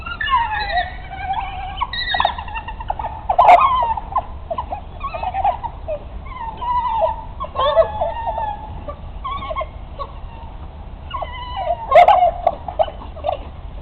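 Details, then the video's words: African wild dogs, also called African hunting dogs, at feeding time in Yorkshire Wildlife Park; several overlapping high, bird-like twittering and chirping calls with wavering pitch, repeated in bursts, with occasional sharp claps or knocks. "African Hunting Dog Feed"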